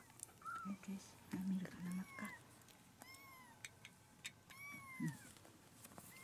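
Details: Rescued kitten about four weeks old, one of two littermates, indoors around a vet visit for mild diarrhoea: several thin, high, arching mews, some rising then falling, scattered through the clip, while people talk softly about feeding milk.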